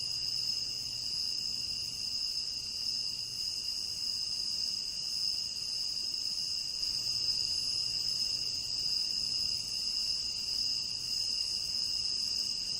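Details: Endless chorus of crickets in a tropical rain forest: constant shrill high trilling in several stacked bands, unbroken throughout, with a faint low hum appearing at times beneath.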